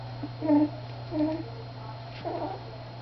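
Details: Miniature Schnauzer puppies, three weeks old, playing together: three brief, nasal whining yelps spaced roughly a second apart, with a constant low electrical hum beneath.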